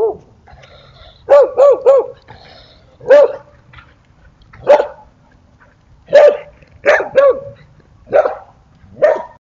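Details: Dog barking while chasing away a coyote and protecting an injured Rottweiler lying under a basketball hoop; sharp barks in bursts, some in quick runs of three, repeated about every second, with quiet gaps between.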